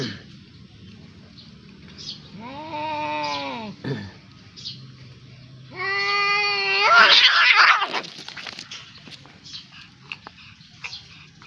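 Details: Domestic cats fighting: two long, drawn-out yowls, each rising and then sagging, the second ending in a harsh, noisy hiss-like burst, with quiet gaps and faint scuffing between.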